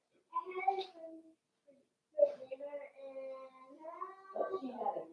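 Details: Indoor puppy pen with Daisy's five-week-old Cavalier King Charles Spaniel puppies: a plaintive tonal whine, a brief pause, then a long sustained wavering whine lasting over two seconds that breaks into rougher, overlapping cries at the end.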